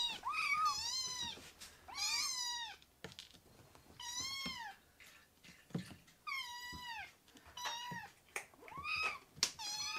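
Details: Rescued kittens in foster care calling indoors with shrill, wavering mews, some drawn out and bending up and down, arriving in bursts about every second or two over quiet background clicks.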